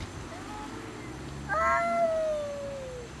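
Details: Domestic cats fighting over food, refusing to share; a single drawn-out moaning yowl rises briefly and then slides slowly downward over about a second and a half, faint against a quiet background.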